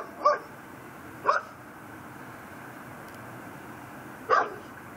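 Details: Pit bull tied up on a front porch in Chalmette, Louisiana, barking at 10:30 pm on 18 December 2012; three short, sharp barks heard at a distance, irregularly spaced, over a steady background hiss.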